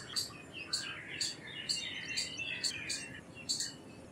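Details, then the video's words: Shrill, clipped chirps from an Indian palm squirrel, roughly one every half second, with a chattering bird chorus weaving between them. "Squirrel Sounds Effects - Squirrel Calls - Squirrel Sound - Indian Squirrel - Squirrel Voice-Vocals"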